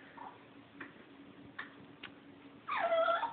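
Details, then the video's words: Foxy, a female dog, whining because the puppy Opus got a bone and she did not. A few faint soft ticks, then a louder wavering, high-pitched whine near the end. "Foxy is ticked off because the puppy got a bone and she didn't"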